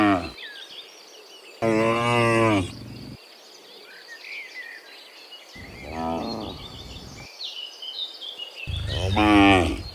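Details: Afternoon walk home from the fields to the pen by dozens of cows; three loud moos spread over ten seconds, the last swelling strongest, amid steady bird calls and light outdoor noise.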